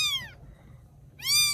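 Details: Rescued baby kittens in Vietnam, cared for after rescue: two high, clear meows, each falling in pitch, at the start and end, with a quiet gap and a low hum beneath.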